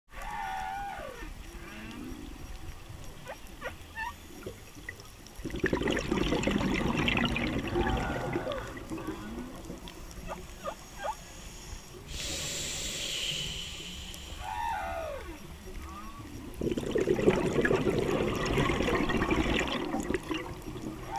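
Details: Humpback whale calls heard underwater by a diver at The Maze, South Caicos, Turks and Caicos Islands, on 3/11/13, captured with a GoPro HD Hero 3; curving tonal moans and upsweeps recur between loud bursts of rushing, bubbling water.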